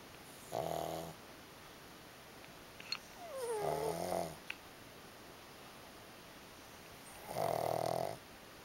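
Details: Pugs asleep side by side, one snoring; three rattling snores spaced a few seconds apart, the middle one with a wavering, sliding tone, plus a faint click between them in a quiet room.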